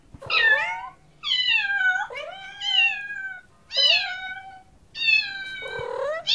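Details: Domestic cats meowing in a compilation of cute cats: five loud, bright meows roughly one second apart, each starting high and sliding down, some rising first, harsh and insistent, in a quiet indoor room.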